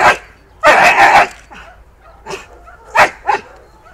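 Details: Akita Inu with a history of aggressive biting, in a rehabilitation session with its trainer. One long, loud, rough bark is followed by several shorter, sharp barks spaced apart, against quiet background.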